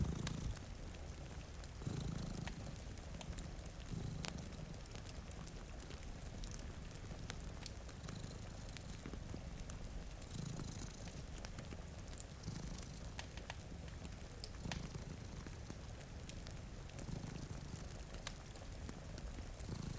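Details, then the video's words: Two sleeping cats by a rainy window give a continuous low purr, rising and falling in slow rhythmic waves, beneath frequent fire crackles and falling rain. "Purring Cat"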